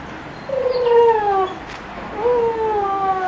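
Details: Giant Schnauzer puppies at Kennel Vestigia Ares, recorded 15 October 2009, give two drawn-out, tonal whines, each sliding slowly downward and lasting over a second, separated by a short quiet gap.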